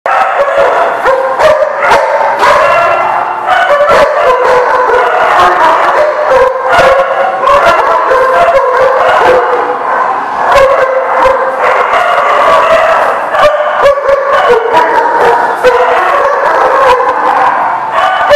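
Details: Dogs recorded on 8/20/18, many barking together in a dense, continuous chorus of overlapping sharp barks and yelps with no pauses across the whole stretch.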